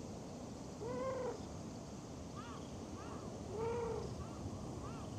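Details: A stray cat met in a park near a pond pavilion utters two drawn-out arched meows about three seconds apart, with fainter short mews between them over low rumbling background noise.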